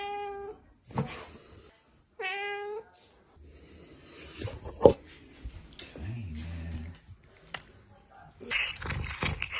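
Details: Kitten eating, giving two clear rising-falling meows at the start, followed by chewing, smacking and rustling noises of feeding and a brief low voice.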